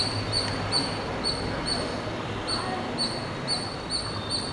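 A squirrel gives short, high squeaky chirps, repeated about twice a second over steady background noise.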